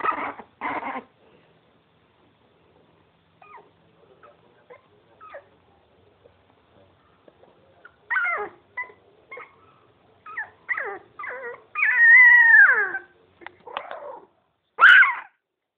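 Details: Playful miniature pinscher puppies: two quick yelps open, then near-silence with faint ticks, followed by scattered whimpers and a long wavering whine around twelve seconds, ending in a sharp high yip.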